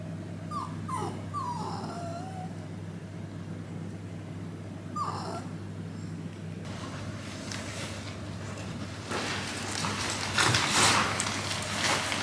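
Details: Shiba Inu at a rural home in Aomori, Japan, during a winter blizzard with strong west wind, before a walk: a few high, wavering whines rising and falling, then roaring wind gusts take over the second half.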